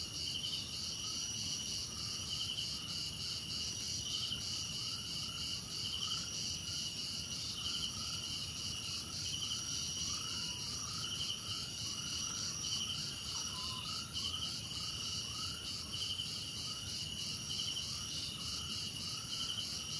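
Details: Crickets in a dense nighttime-style chorus: steady high shrill trills layered with pulsed chirps roughly every second, plus a row of short, lower, sliding chirps repeating throughout; other insects blend into a constant hiss.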